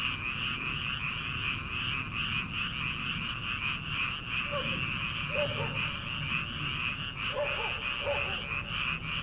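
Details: Frogs croaking en masse in rice paddies as summer begins, before transplanting; a steady, throbbing chorus of rapid croaks, joined midway by a few short, lower-pitched calls.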